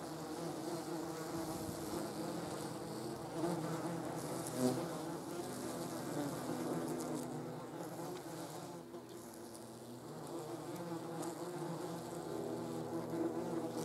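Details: Several German wasps hovering around a jar of jam produce an unbroken low humming buzz with layered tones, rising and falling as wasps approach and leave, with a brief sharp tap at about five seconds.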